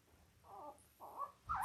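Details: Five-day-old Labrador Retriever puppies from a litter of five males and three females born October 15, 2023, on an indoor live puppy cam: three short, squeaky, tonal whines in quick succession, each rising slightly, the last one loudest.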